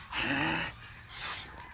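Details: French Bulldog named Margot giving one drawn-out, tonal whine of about half a second, followed by a softer, breathy, rising sound; quiet background.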